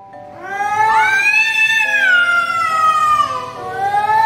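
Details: Pet cat Chhotu in a backyard territorial quarrel with an intruding stranger cat: a long harmonic wail swelling upward, then sliding slowly down and holding, with faint steady tones in the background.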